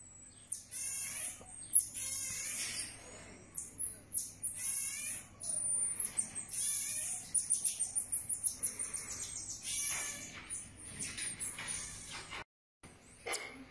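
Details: Baby marmoset monkey with its family, a pet named Ti. High, sharp chirps and squeaky trills come in quick bursts throughout, some overlapping, with brief quieter gaps and a short silence near the end.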